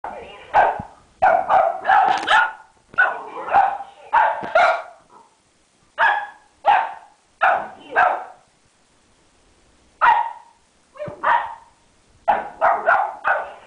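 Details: Ziggy, an 11-week-old boxer puppy, playing with a red ball and barking at it in quick bursts of high yappy barks, some in tight pairs, with short pauses between runs.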